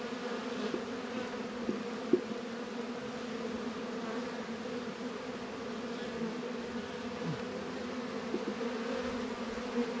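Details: Many honey bees humming at their hive on a warm February day in northern Kentucky; a steady low drone with faint individual flight buzzes sliding in pitch and a few soft taps.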